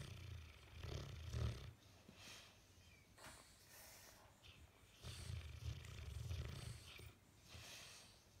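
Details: Bullmastiff snoring in its sleep while its face twitches, a long-running bout: low, gravelly rumbling snores in two main bursts, early and midway, with softer wheezy breaths between them.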